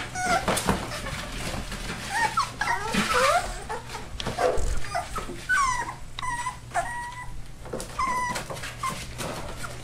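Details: Four-week-old rescue puppies, a Labrador and Hound mix, from Lonely Hearts Animal Rescue in Maryland. Several pups whimper and yip in overlapping high, wavering whines, some rising and falling, coming in quick irregular bursts throughout with constant low background hum.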